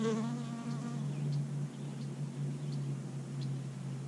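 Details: Early-spring bee gathering dandelion pollen, giving a strong close buzz that starts rich in harmonics, then settles into a steady low hum for the rest of the clip.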